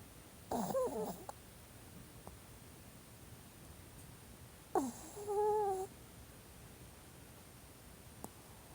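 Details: Old Pomeranian asleep indoors, twitching here and there as if dreaming. It gives two short whimpering, squeaky vocal bursts about four seconds apart, with near silence between them.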